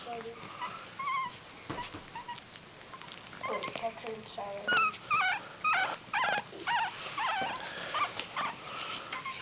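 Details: Miniature dachshund puppy at three weeks old, among growing littermates: a few quiet squeaks, then a run of high, wobbly whimpers repeated about twice a second, with people chatting nearby.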